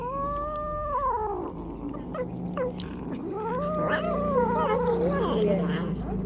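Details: Stray cats and a kitten fighting over food while being fed, with a drawn-out wavering caterwaul that bends downward, then a second rising and falling moan with a quavering end, over a low hum.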